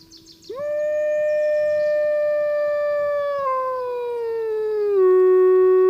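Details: A gray wolf in Glacier Bay gives a long, steady howl that holds its pitch and then slides lower near the end.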